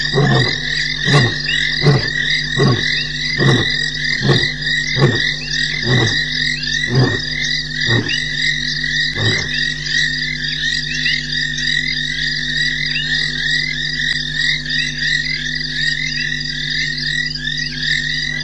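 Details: Male lion roaring while walking along a dam wall at 3:20 a.m. on March 12, 2017, Djuma Game Reserve. About eleven deep, grunting pulses come roughly every second and fade out by ten seconds, over a steady chorus of frogs and insects.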